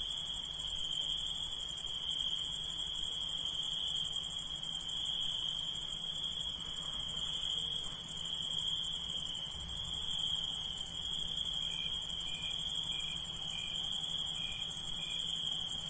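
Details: Night-calling insects keep up a continuous high-pitched ringing tone and a faster, very high pulsing buzz; near the end, a short run of about six soft, lower chirps repeats roughly every half second.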